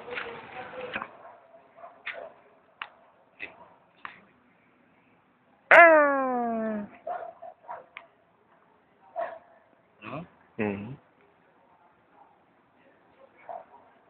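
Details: Stray cat behind an office building, being talked to by a person; one loud, drawn-out meow falling in pitch stands out near the middle, among shorter clipped sounds and soft intermittent human talk.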